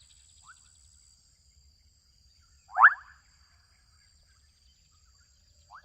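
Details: One loud, rasping, upward-sliding croak from adolescent frogs in a Kenyan wetland, with faint short calls before and after, set against a continuous high whine and soft low rumble.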